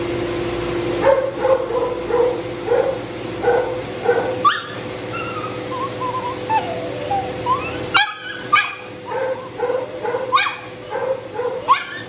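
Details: A matted Shih Tzu that bites when in pain, being dried after de-matting; a steady run of short whining whimpers and higher yelps, some rising, repeated about once a second over the constant hum of a blow dryer.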